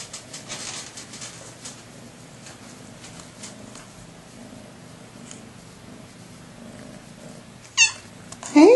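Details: Rescued female house cats, a shy mother and two teenage kittens seeking a barn home, indoors; after quiet room noise and soft spoken greetings, two short loud meows arrive near the end, the last one rising sharply.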